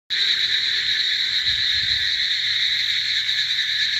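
A dense chorus of many frogs forms a steady, unbroken high-pitched trilling wall of sound.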